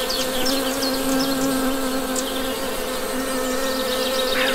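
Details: Honey bees humming in a steady low drone that holds one even pitch throughout, while small birds chirp briefly in the background.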